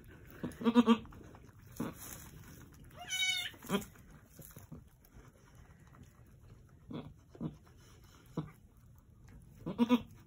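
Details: Angora goats at Lost Goat Ranch during a birth at sunset on March 7, 2020: a doe delivering two red buck kids. Low, short bleats open and close, with a higher, wavering bleat between them over faint rustling.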